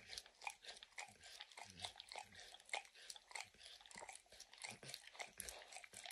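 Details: A dog named Max snacks on peanut butter and kibble from an orange lick mat. Sharp moist tongue clicks and crisp crunches follow one another rapidly and unevenly, and no voices are heard.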